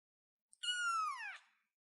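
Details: A single drawn-out kitten meow from a small cat on a chair, steady and high at first, then sagging lower as it fades out; no other sounds.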